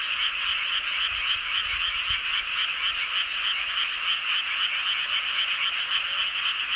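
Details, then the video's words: Frogs croaking together under the full moon at Seowon-myeon, Hoengseong, Gangwon Province; a nearby caller gives fast, regular rattling pulses, about four each second, over a dense chorus, with faint low thuds early on. "보름달 아래 개구리들의 합창"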